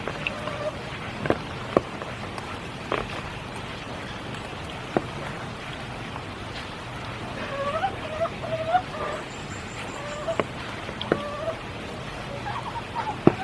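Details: Frogs calling in spring rain at Kiyotaki, Tokyo: a few short warbling notes bunched midway, mid-pitched and slightly wavering, half-buried under steady rainfall and scattered dripping taps.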